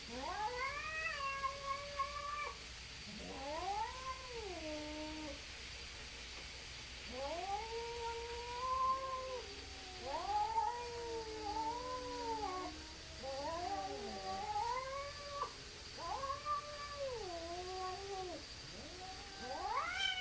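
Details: Two neighborhood cats, possibly tabbies, facing off and stalling a fight: long wavering yowls that rise and fall, overlapping in drawn-out wails, several bouts in a row with brief quiet gaps and a steady background hum.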